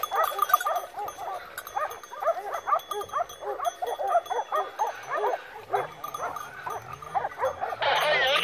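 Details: Wild boar drive with Segugio Maremmano hounds, Rieti province, Italy, November 2017: dense continuous yelping from several dogs, fast and irregular, ending in a burst of loud rough noise.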